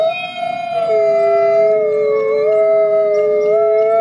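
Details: Wolves howling in a forest, a call used to communicate between wolves: two long, steady, overlapping tones, one slightly higher than the other, held smoothly across the whole stretch with gentle wavers and no other sounds.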